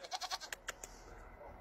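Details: A baby goat held in a person's arms gives a short, quavering bleat as it is kissed, followed by a few sharp kissing smacks.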